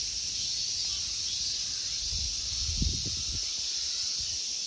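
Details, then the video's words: Continuous high-pitched insect drone on a summer day in the Ikegami Honmonji temple park, Tokyo, Japan, with a few soft low thuds like footsteps near the middle. "Summer insect sounds."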